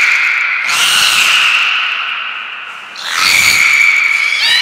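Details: Captive beluga, Mirai or Niko, during training at Port of Nagoya Public Aquarium on 20 February 2021; two loud high squealing bursts with bright harmonics, separated by a quieter sustained tone.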